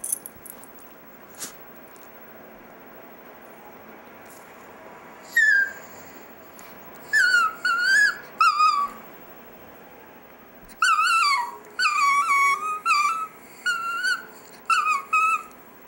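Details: Chihuahua named Dexter "singing" indoors: a single high wavering howl, then a run of short tonal yowls in two bursts, each rising and bending downward, separated by silence and faint clicks.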